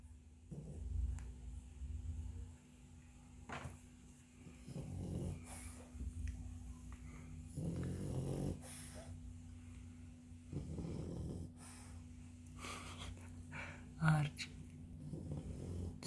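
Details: Sleeping French Bulldog snoring indoors: low, rasping breaths recur roughly every three seconds, each swelling then fading, over a faint steady background hum.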